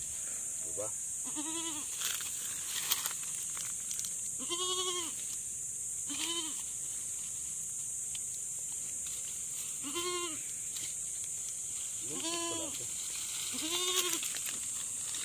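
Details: Farm goat calling while giving birth, with a person helping the delivery: a series of about seven short, wavering bleats spaced one to two seconds apart, each with a rising-falling arc, over constant broadband hiss and faint clicks.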